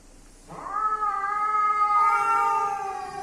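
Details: Cats, male and female together, with a loud sustained yowl that starts abruptly, holds an even pitch, then shifts slightly lower and carries on strongly.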